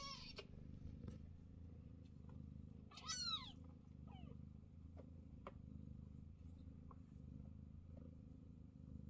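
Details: Scottish Fold mother cat Chloe lies calmly nursing her growing kittens, which push and fight for a place at her side. A steady low purring rumble runs throughout, with one high, falling kitten mew near three seconds and a few soft clicks.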